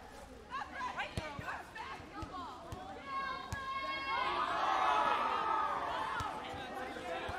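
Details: Two cats fighting, Evie the blond cat against Nawwab the black cat: drawn-out wavering yowls with stacked harmonics, rising and falling in long wails, among short clicks and bumps.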